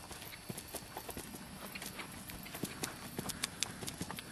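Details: Admiral's Paladin, a 9-year-old American Saddlebred, shod with a plate on the front feet and nothing behind, moving after the October 2008 show season; sharp hoof clops fall irregularly, several per second, over a steady background hiss.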